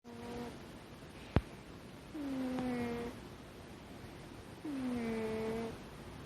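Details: Sleeping kitten with an unusually quirky snore: drawn-out, whistle-like tonal notes that slide downward, one on each breath about every two and a half seconds, with a single sharp click between the first two breaths.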